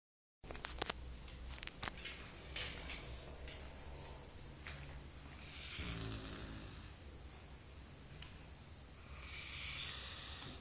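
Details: Maggie, a 4-month-old Golden Retriever puppy, snoring while asleep: a low buzzing rattle swells near the middle, surrounded by soft breathy hiss and a few sharp clicks and rustles early on.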